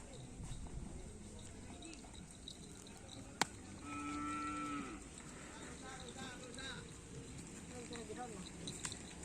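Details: Karapan sapi racing cattle of the Dor To Dor Ekspres team at a training session on the Asemanis field. Midway, a single drawn-out moo of about a second sounds over steady crowd chatter, nearby voices and one sharp click.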